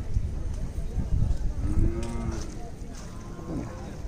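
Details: Khillari cattle at the Sunday livestock market in Sangola, a low drawn-out moo rising and falling around two seconds in, over a busy crowd murmur with voices and market noise.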